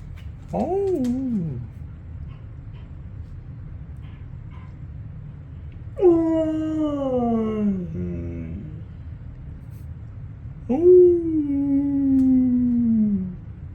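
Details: Pet husky answering a person's howls: a short wavering yowl, then two longer howls that begin high and slide slowly downward with a warbling quality, spaced about five seconds apart, with faint clicks and a low hum behind.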